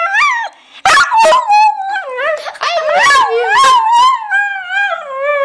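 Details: Honey the pet dog vocalizing 'I love you' with loud, warbling howls that swoop up and down, broken by sharp snorts or claps, ending in a long steady falling tone.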